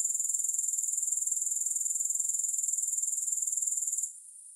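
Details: High, rattling grasshopper trill of quick regular pulses, steady for about four seconds, then cutting off abruptly into faint quiet.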